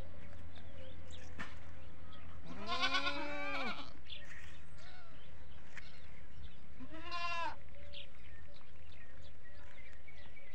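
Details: On a goat farm, goats calling mostly for feeding, one setting off the others: two harsh, shaky bleats about four seconds apart over a steady low hum, the second shorter and quieter.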